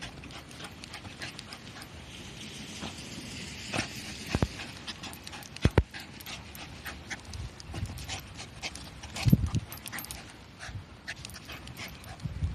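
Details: Shiba Inu digging a hole eagerly on a path between rice fields during a walk in light drizzle; soft rhythmic panting and scraping with sharp scratching clicks of digging, against steady outdoor background noise.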